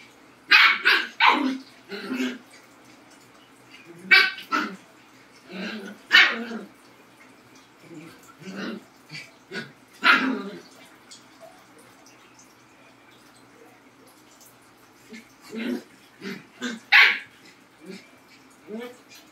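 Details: A Labrador and a Husky in a barking exchange: clusters of sharp, loud barks separated by pauses of several seconds, with softer grumbles between, and a final burst of barks near the end.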